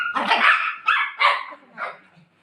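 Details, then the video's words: A golden retriever barking while playing at home: four loud, broad, harsh barks spaced about half a second apart, the last one softer, with no other sounds. "cute golden retriever dog playing with mom"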